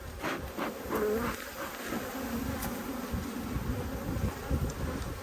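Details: Strong Australian honey bee colony buzzing during a dearth-time inspection, 5 February 2022; dense continuous low hum with faint scattered rustles and knocks over the whole stretch.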